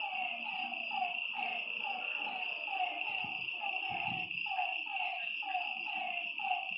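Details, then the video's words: Frogs calling at night by a lake: overlapping short, slightly falling croaks repeat about once a second over a steady high insect-like drone, with a few soft low thumps in the background. "Lakeside night creatures and frog sounds"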